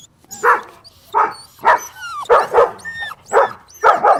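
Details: Puppies drinking milk on a lush green meadow give a quick run of high, short yapping barks, about two per second, some in doubled pairs, with thin whistled chirps above.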